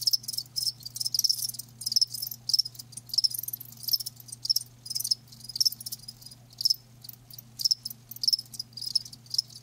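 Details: Crickets give a continuous run of rapid, high-pitched chirps in clustered bursts, the rhythm uneven as several insects overlap, over a faint low electrical hum.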